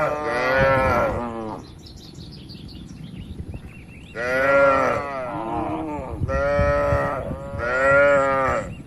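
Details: Cattle in a peaceful barn while eating, giving four long, loud moos, each about one and a half seconds, rising and falling slightly, with quieter barn rustling in the gaps.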